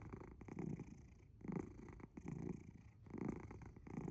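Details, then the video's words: A sleeping cat purring very loudly indoors, a low rumbling throb that swells and fades in regular cycles a little over a second apart, like snoring breaths. "Purring? Or snoring? Very loud ゴロゴロ音？いびき？"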